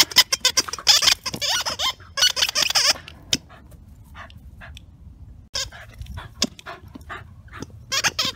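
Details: Stanley, a 2-year-old Welsh Terrier staying at Wire Fox Terrier Rescue Midwest, playing with his favourite big blue ball. He gives rapid, high squeaky whines in a dense burst, then a quieter stretch of scattered knocks, then more squeals.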